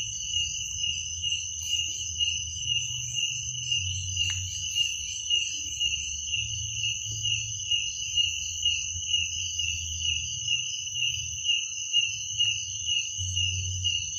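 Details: Crickets at night, a steady high ringing trill held without a break, pulsing slightly in volume, with a fainter second ringing tone above it and a soft low rumble underneath throughout.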